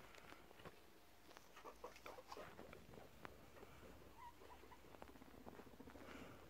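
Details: Scuffle between male guinea pigs settling rank. Irregular clicks and rustling patter are joined by short squeaky chirps, including one faint tonal squeak midway, all soft against low room noise.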